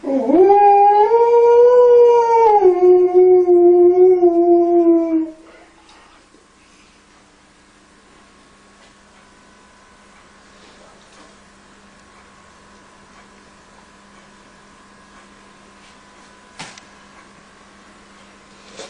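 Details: An Alaskan Malamute, responding to a crying baby, gives a drawn-out, wavering howl that rises, holds, then drops before falling quiet.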